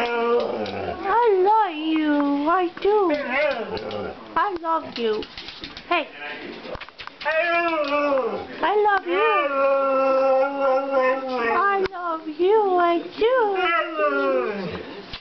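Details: Male Siberian Husky in a small room, 'talking' to ask to go out: a rapid run of bending, yodel-like yowls rising and falling in pitch, then longer steady howls, with a person replying softly throughout.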